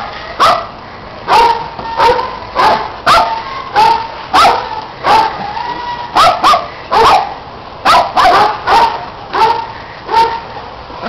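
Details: Pet dogs playing, running and chasing a red Kong toy, with a neighbouring dog adding noise; sharp, high-pitched barks and yips repeat irregularly, about three every two seconds, through the whole recording, each bark an abrupt broadband burst.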